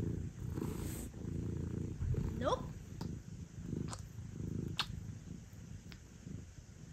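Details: Male British Shorthair Sobbang, usually an intermittent lap cat, settled on a lap in a small room; deep continuous purring with a brief soft rising chirp midway and a few faint clicks.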